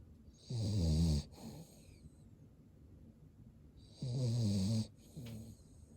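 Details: Cavalier King Charles Spaniel asleep with the whites of its eyes showing. It gives two snores about three and a half seconds apart, each a low buzzing rumble mixed with a hissy breath, followed by a short softer snort, with quiet breathing between.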